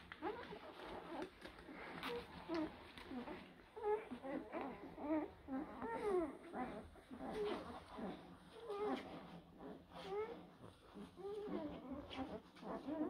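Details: Blue Great Dane puppies from spring 2023 litters crying together: a busy chorus of thin, wavering whimpers and squeals, short bent notes tumbling over one another almost continuously, with some faint human voice indoors.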